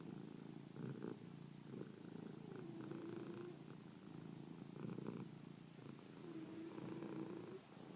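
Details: Cat. A domestic cat gives a continuous low, rumbling purr, swelling and easing in a slow rhythm about every two seconds. Soft snore-like breaths mix with the vibrating hum.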